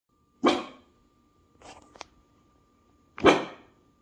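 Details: Springer Spaniel/Portuguese Water Dog cross, a pet female indoors, barking because she thinks she hears something; two loud, broad, harsh barks about three seconds apart, with faint clicks between and a steady low hum in the room.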